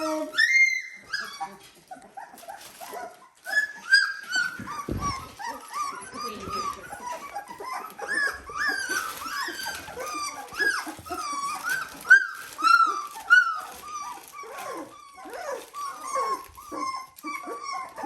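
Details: A litter of Dalmatian puppies at 17 days old keeps up a busy chorus of thin, wavering squeaks and whines, arching up and down in quick succession, many pups overlapping, a few louder yelps standing out.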